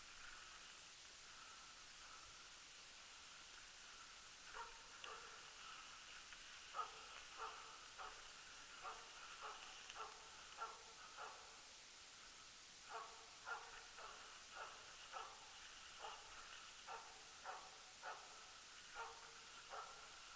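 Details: Elk-hunting Jämthund Rapp giving repeated barks from a distance during a 2012 loose-dog hunt; quiet at first, then a long run of short barks roughly every half second, somewhat uneven, with constant background hiss.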